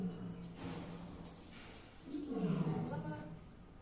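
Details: Seramu, a male white lion born 14 November 2016, at Okinawa Zoo & Museum in Japan, recorded 22 April 2022: a deep, harmonic moaning call swells and then falls away over about a second, after quieter low rumbling.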